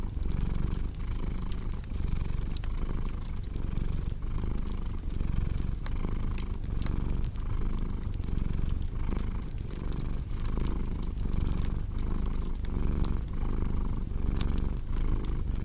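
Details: Cat purring in a deep, even rumble that rises and falls in regular breathing rhythm across the whole stretch, accompanied by constant light crackling and popping from a fire.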